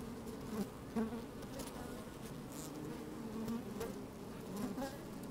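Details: Busy honey bees at an open hive, recorded with a microphone lowered into the colony on a sunny day: layered humming drone with several short buzz bursts, one near the first second, and scattered tapping clicks from bees crawling.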